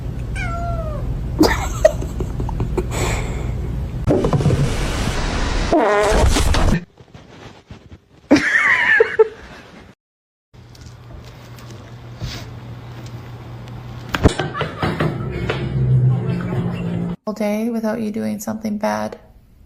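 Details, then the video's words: Domestic cats in a fight, giving drawn-out wavering meows and yowls across several short, abruptly cut segments, with bursts of broadband scuffling noise, low hum and quiet stretches between. "Cat Fight"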